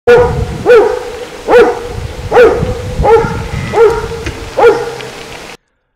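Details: Karst Shepherd, a centuries-old Slovenian indigenous herding dog breed from the Karst region around Pivka, barking: seven deep, loud barks spaced under a second apart over a steady, continuous tone in the background.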